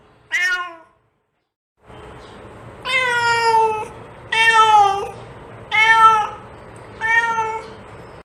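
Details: Domestic cat meowing, played to attract other cats: a short high meow, a pause, then four drawn-out harmonic meows about one per second, each steady then slightly falling, over a faint steady hum.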